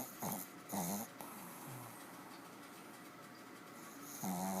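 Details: A dog snoring heavily while deeply asleep indoors, giving short rasping, tonal snores in bursts near the start and again at the end, with quiet breathing between.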